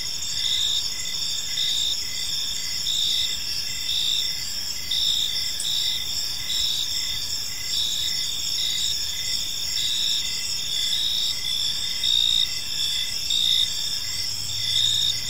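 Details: In a serene park as evening unfolds, many crickets chirp together, steady shrill bands of sound overlaid by short repeated chirps in a loose rhythm, with a low hum of distant background noise.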